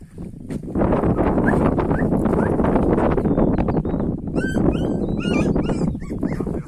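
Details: Purebred Kangal puppies give a run of high, quavering whines and short yips in the latter half, after a stretch of loud rustling, scuffling noise; a few faint squeaks come earlier.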